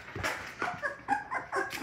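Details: Labrador Retriever puppies from a litter of six, indoors on a morning after waking, make a string of short, high-pitched whimpers and yips about every quarter second, with some soft rustling.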